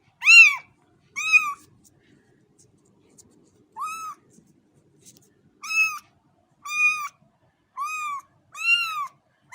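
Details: Series of about nine short, high cat meows, two quick ones at the start, a pause, then a steadier run of arched cries toward the end.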